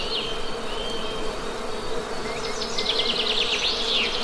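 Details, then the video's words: A continuous low hum of Western honey bees, with a rapid run of high bird twitters near the end. "Best Honey Bee Sound!"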